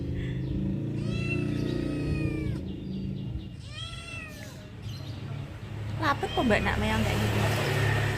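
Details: Persian cat sunbathing in the morning gives two drawn-out harmonic meows: a long, steady one of about a second and a half, then a shorter one that rises and falls. A constant low hum runs underneath, with brief scrapes near the end.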